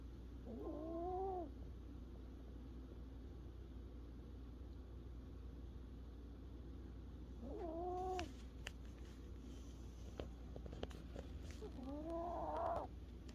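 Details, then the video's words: Pet Chihuahua sleeping and snoring during a nap indoors: three wavering nasal whines, each about a second long and rising then falling, spaced roughly five seconds apart, with soft rustling between. "snoring chihuahua so cute"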